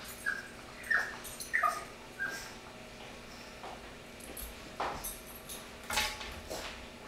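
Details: Pug puppy whining for his brother's food: several short high-pitched squeaky cries clustered early, then scattered clicks and softer noises with long quiet gaps.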